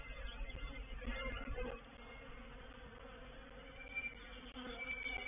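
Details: Honey bee swarm entering a bait hive at Painted Peacock Manor on 04/07/21, a wavering buzz that swells and fades, with individual bees whining past in higher tones.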